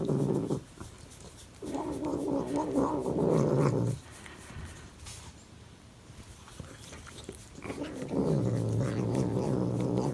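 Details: A cat gives a low, grating growl-like sound while its back is scratched, in three sustained bursts separated by quiet pauses of a few seconds.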